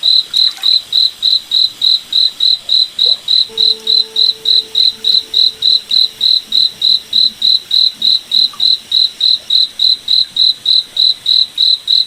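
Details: Cricket at night in a forest under moonlight, a long unbroken run of sharp high chirps at a brisk, even pace near three and a half per second, with faint soft tones in the middle.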